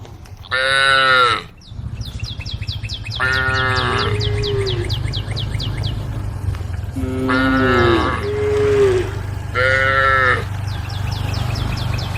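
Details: Cows in a group roaming a road at the forest edge, calling the herd: four deep, harmonic moos, some short and some drawn out, over a steady low hum, with rapid repeated high chirps behind.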